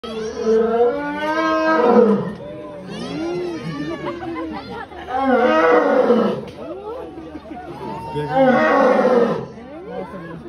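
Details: A lion gives three loud, drawn-out roars, with people talking between them.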